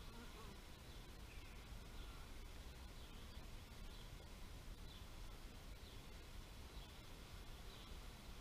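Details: Bees buzzing in a steady, dense low hum that fills the whole stretch without pause, with faint high bird chirps scattered over the top.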